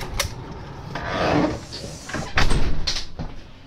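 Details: Indoor knocks, wooden thuds and door or drawer sounds in a room, with no animal voice.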